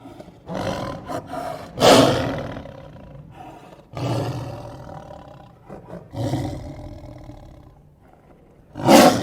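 A lion gives deep, rasping roars in loud bursts, each swelling and fading over a second or two.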